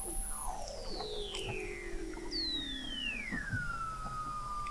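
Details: Weddell seal song under the sea ice of McMurdo Sound, Antarctica, recorded November 2017 by the McMurdo Oceanographic Observatory: several long gliding whistles descend slowly, one falling from high to a held lower tone, over faint ticking.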